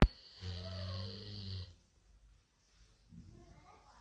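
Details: A pet Golden Retriever snores on a Sunday morning with a low, rumbling rasp that lasts more than a second.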